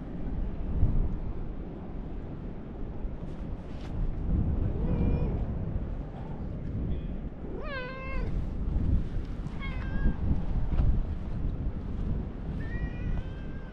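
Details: Orange tabby cat with a lion-like look welcomes an arrival at a fishing port, giving a series of short, bent meows spaced a few seconds apart over constant wind rumble and harbour noise.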